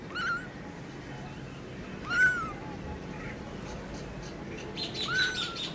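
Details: Newborn kitten giving three high, thin meows, each briefly rising and then sliding down, spaced about two to three seconds apart, over a low steady hum.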